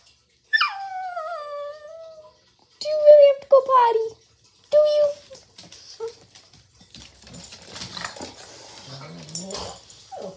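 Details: Pet dog vocalising in a 'talking' style indoors, drawn-out whining howls that slide downward, then short yodelling whines, while a person speaks to it in a coaxing voice.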